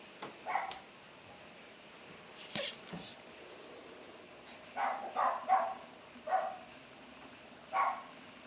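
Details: Dog barking: a handful of short, faint barks, one early then a cluster of four spaced irregularly toward the end, with a few sharp knocks in a quiet room.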